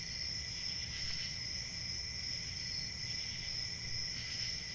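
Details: Many crickets chirp together, making a constant piercing trill layered over a mellower lower trill, gently swelling and fading, with faint low rumble underneath.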